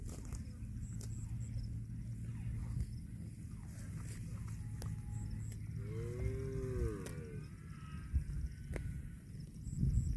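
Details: Cows eating grass give a single drawn-out moo about six seconds in, a rising-then-falling tone with stacked harmonics lasting roughly a second, set over steady low rumbling and crunching from grazing.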